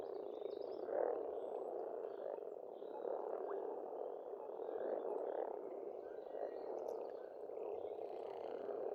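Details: Frogs calling together at an Estonian pond in spring, a steady unbroken churr of many croaking voices blending into one mass, with a few thin bird notes in the background.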